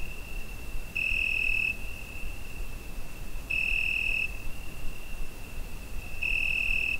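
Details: Cricket chirping through a summer night, recorded on a Zoom H5, with a constant high, pure trill rising into three louder bursts of under a second, spaced about two and a half seconds apart, over soft low hum.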